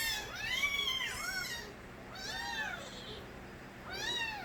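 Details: Loud crying from young stray kittens belonging to Nabi: drawn-out, wavering mews with many harmonics, two close together at first, then a pause and two more calls, over faint background hiss.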